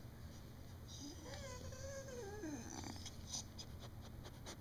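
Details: Sarah, a pet beagle, trying to tell her owner something: a soft, wavering, whiny howl that rises then slides down over about a second and a half, with a person talking nearby in a quiet indoor room.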